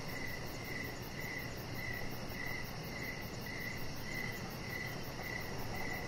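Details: Short evening excerpt of crickets by a deck: clear, high trilled chirps spaced about half a second apart, around eleven in six seconds, above steady low background noise.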